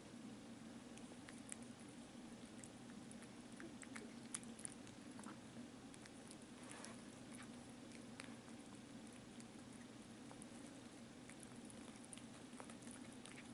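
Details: Pet cat Rudolph purring indoors: a steady, low, pulsing rumble that holds without a break, with scattered faint clicks and soft taps over the top.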